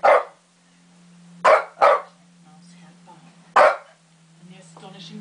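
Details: A Shih Tzu gives four sharp, short barks, two in a quick pair, over a low steady hum, barking at lions on a TV wildlife programme while watching TV.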